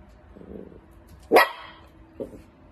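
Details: A wiener dog lets out one abrupt, high bark, followed shortly by a short, quieter yip against a low indoor background.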